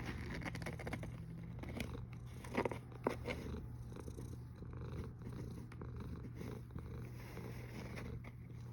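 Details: Deep, steady snoring of a cat recorded 1 August 2021 at 13:27, with a cluster of small clicks and taps around the third second.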